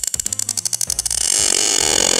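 Sharp sperm whale clicks tick rapidly and evenly, then give way to a roaring wash of noise.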